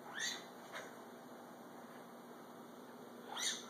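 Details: Female serval chirping while she eats: three short, bright upward-sweeping chirps, two close together near the start and one near the end, separated by quiet; a steady faint high electronic tone runs underneath.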